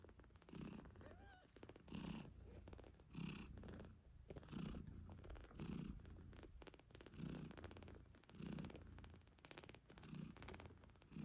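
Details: British Shorthair queen purring to her newborn litter of 8-day-old kittens while nursing: loud, rumbling purr in rhythmic breaths about every second, with one tiny kitten squeak early on.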